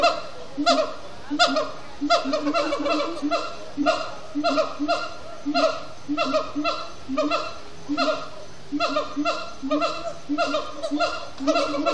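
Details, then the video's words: Captive siamang gibbons chanting at sundown, Disney's Animal Kingdom: steady run of loud, honking, laugh-like whoops in quick clusters, about eighty bursts per minute, continuous across the whole stretch with no other clear sounds. "Siamang gibbons at Sundown"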